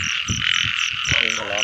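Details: Many frogs calling in the rain season during a frog hunt: steady trilling chorus with quick regular high beats, with brief low thuds and a short voice-like sound in the foreground.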